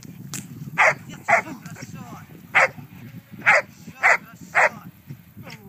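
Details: A Giant Schnauzer gives six strong, abrupt barks at irregular intervals, some in quick pairs, over a low steady background murmur with faint voice-like sounds between barks.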